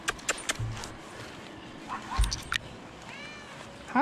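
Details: Rescued cats, one letting out a short arching meow near the end, with sharp clicks, taps and a low thump earlier over a quiet rustling background.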